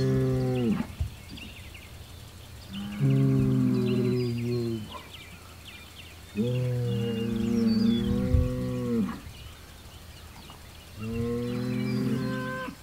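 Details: Hereford bull Homebrew, facing south on June 17, 2023, trading calls with a rival Hereford bull across the road and an Angus bull, both within 100 yards. Four long, deep, droning bellows rich in harmonics, separated by pauses; birds chirp faintly overhead.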